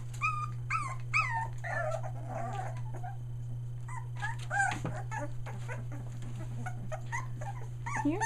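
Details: Three-week-old Aussie puppies near Mooresville, NC, newly vocal. Bursts of rising-then-falling whimpers and squeals come in short runs with quieter gaps between, above a constant low hum.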